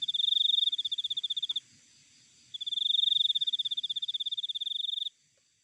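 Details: Wild cricket: two bright, high-pitched pulsed chirp trains, the first about one and a half seconds, the second about two and a half, separated by a second of near silence.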